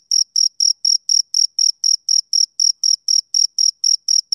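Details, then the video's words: Male cricket chirping, a steady run of short, bright, high-pitched pulses about four per second, each one sharp and evenly spaced, with no other sounds behind it. "Cricket Chirping Sound Effect"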